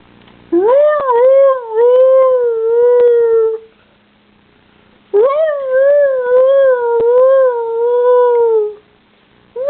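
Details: Pet dog howling in two long wavering tones, each about three seconds, rising sharply then sliding slowly downward with a slight warble, separated by a short pause, a third howl starting at the end; faint clicks in the background.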